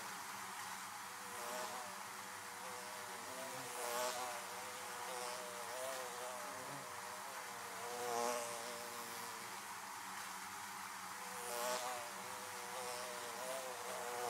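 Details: Swarm of bees buzzing about beehives, an unbroken droning hum with rippling overtones, punctuated every few seconds by a louder whir as a bee flies past.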